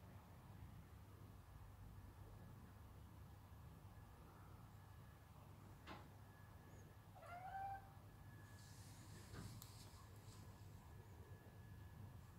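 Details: A domestic cat watching a pigeon gives one short, rising, slightly trilled meow about seven seconds in, after a long quiet stretch; a steady low hum underlies the scene with a few faint clicks.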